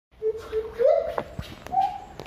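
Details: Siamang at Cilodong, Depok, giving a sustained hooting note that swells upward into a louder whoop, then a second higher held note, with short knocks and background noise between.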